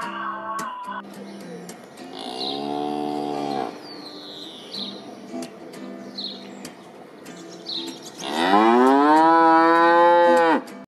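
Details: Cow mooing: a long, rich, harmonic moo, rising then level, with a shorter moo earlier and a loud drawn-out moo near the end, over light background music with bird-like chirps.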